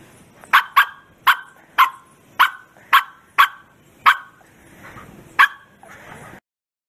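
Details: A Bearded Collie barks loudly with all its might in sharp, repeated bursts, about two each second.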